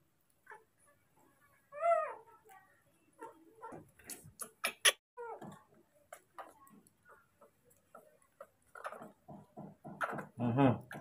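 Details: Baby monkey calling nonstop for its father to arrive with food: a loud, short, harmonic wavering cry near the start, followed by scattered clicks, taps and softer squeaks at close range indoors.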